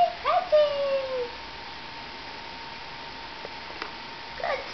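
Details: Newborn Nubian goat kids, two sets of twins born January 29, 2010, indoors after being taken from their mothers, still learning to stand and walk before a winter snowstorm; a short wavering bleat that falls in pitch, then near silence with faint voices.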